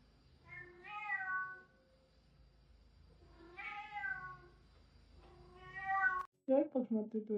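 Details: Cat giving three long, slightly falling meows about two seconds apart against a quiet background with a thin steady hum, ending with a short burst of human voices.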